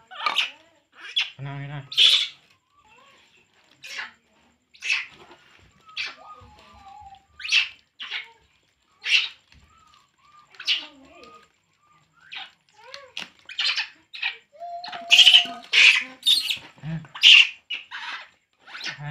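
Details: Poo, a baby monkey, cries as it drinks milk, giving a long run of shrill, piercing squeaks and squeals, some in quick clusters, with occasional quiet human speech mixed in.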